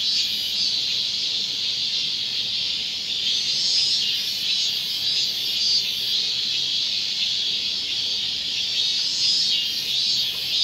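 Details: At Gongenyama Bird Sanctuary in Japan, robust cicadas recorded on 30 August 2020 give a steady, high, hissing drone. Its loudness gently rises and falls, with brief pulsed buzzes overlaid at the start, middle and end.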